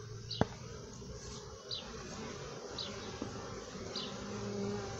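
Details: Many honey bees buzzing in their hive make a continuous, thick, low hum without pause. A sharp click sounds near the start, and short, faint high squeaks recur about every second above the drone.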